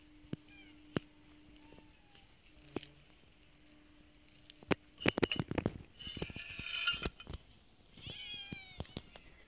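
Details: Street cats fed every day, eating food: scattered sharp clicks, then a dense burst of crunching, chewing noises through the middle, with faint high meows near the end and a steady low hum underneath.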